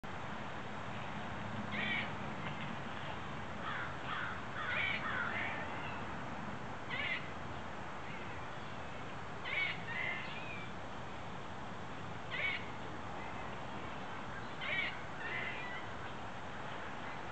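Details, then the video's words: Squirrels sitting in their neighborhood trees in central Illinois, USA, give harsh, raspy trilling calls every few seconds, believed by the recorder to be territorial. "Squirrel territorial calls"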